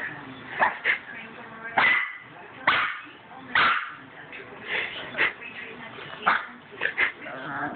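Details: Cavalier King Charles Spaniel puppy giving short high yips and whimpering barks at uneven intervals, mixed with a man's voice calling and coaxing the dog.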